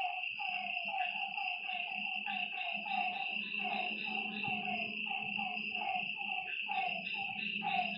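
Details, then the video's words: Lakeside frog chorus at night, many repeated falling croaks layered and overlapping, with a constant shrill insect hum and a faint low buzz underneath. "Lakeside night creatures and frog sounds"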